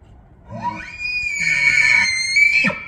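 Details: In Banff, Alberta, Canada, a bull elk bugles in the September rut to claim females and challenge other bulls: a sweep up into a long, piercing high whistle, sustained and slightly wavering, ending in an abrupt drop with low grunts.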